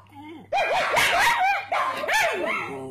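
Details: Pet pug dog joining in with yelping barks after its owner starts barking, as if chatting. After a quiet start, bursts of short, rising-and-falling, tonal yelps run close together, with a brief gap midway before a second run.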